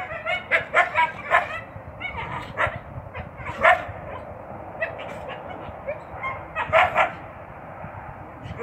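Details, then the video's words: A captive coyote pair, a male attending a spayed female with intact ovaries, gives bursts of high, wavering yips and short barks during courtship in late February. "Coyote Mating Ritual And Vocalizations"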